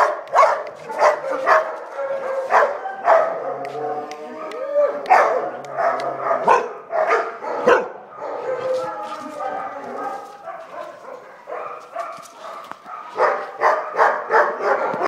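A Chow Chow gives a run of short barks, yips and harmonic whines while playing.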